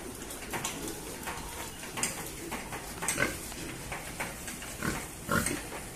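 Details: A pig being given rice gives brief, rough, gravelly grunts and snorts in quick, irregular bursts every second or so, with faint clicks and rustling underneath.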